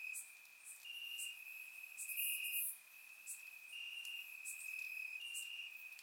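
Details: Summer-night crickets in Bulgarian grassland, surround-recorded: a constant shrill trill rising in brief louder stretches, with a few scattered high clicks.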